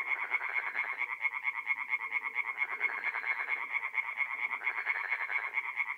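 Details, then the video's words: Singing tree frogs by night at a forest pond, North-East Italy, mid-April; many callers give fast, regular rasping pulses in a continuous chorus, with softer lower croaks in the background. "relaxing forest pond by night with singing tree frogs"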